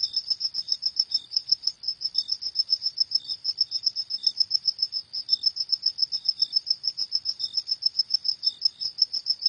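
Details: High-pitched cricket chirps at night, pulsing quickly and steadily for the whole stretch, with intermittent fainter lower notes from a second caller in a still setting.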